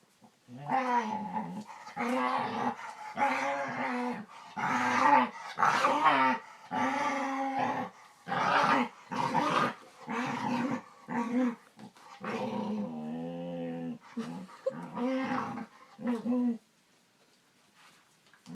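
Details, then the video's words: Indoor pet dog producing weird, talkative noises: a long run of harmonic growl-moans, roughly a dozen bursts in quick succession, including one steady-toned stretch, ending in quiet. "Dog makes weird sounds"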